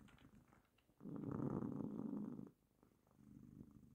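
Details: Pet cat lying on a lap and purring: a gentle, low rumble rises into one loud, gravelly stretch of about a second and a half, then drops back to a faint, quiet purr.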